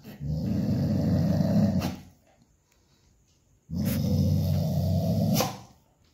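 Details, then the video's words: Dog producing two sustained, deep, rough growls, each close to two seconds long with a pause of about two seconds between, with faint clicks at the ends. "dog sounds"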